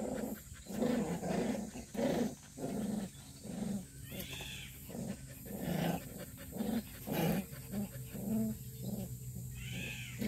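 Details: Purebred black Jindo dog making low, rough growling or huffing bursts, repeated roughly every second over ten seconds, with faint high chirps now and then and a steady low hum behind.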